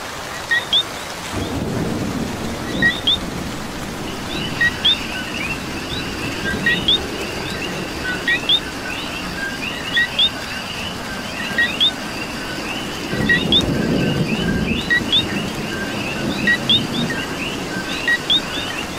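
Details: Coqui frogs in Puerto Rico during rain: a loud two-note call, a short low note then a higher rising chirp, repeats every few seconds over a dense frog chorus, with steady rainfall and low thunder rumbles.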